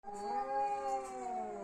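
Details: Domestic cat squaring off in a fight, giving a steady, drawn-out moaning yowl with many harmonics, holding an even pitch for almost two seconds.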